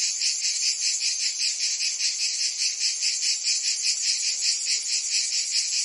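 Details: Provence cicadas in summer fill the air with an unbroken, piercing buzz that swells and fades in rapid rhythmic waves, about two and a half per second.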